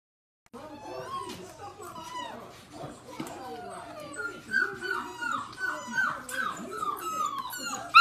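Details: Labrador Retriever puppies whimpering and yipping together, a busy overlapping chorus of high, bending whines and squeaks that grows louder toward the end, with some human voices in the background.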